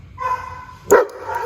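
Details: Pet dog barking at another dog during an engage-disengage training exercise, before being sent back to her safe space to settle; a steady whiny tone, then one short, sharp, loud bark near the end.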